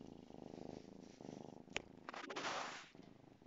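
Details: A 2-month-old female Savannah kitten purrs while playing with her toy mouse, a steady, rhythmic rumble broken by a sharp click and rustling.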